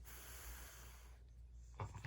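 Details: A sleeping puppy, about to have its paw pads tickled, gives a soft, low, breathy snort with hissing air, then a short louder puff near the end; quiet indoor room.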